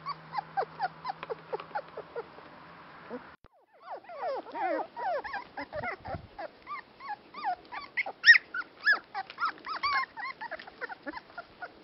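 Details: Dandie Dinmont Terrier: rapid, overlapping high whimpers and yips, many rising or falling in pitch, packed densely together. A steady low hum runs under the first three seconds, followed by a brief gap.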